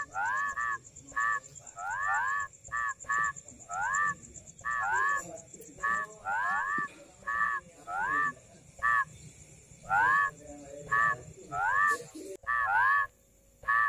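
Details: Rice field frog calls: a rapid, uneven string of rising, reedy croaks, often in twos or threes, with a persistent high-pitched whine underneath and a quiet pause near the end.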